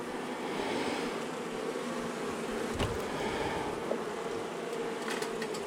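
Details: Honey bees from a long-time colony inside a house wall, agitated as darkness fell during the first day of a March 6 cutout, fill the air with a continuous, even buzzing drone and a few scattered clicks.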